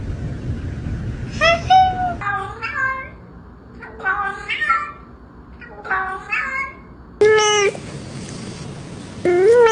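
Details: Cat giving a run of short, bent meows roughly every second or two, ending in two longer, louder cries after an abrupt cut, with faint indoor background noise.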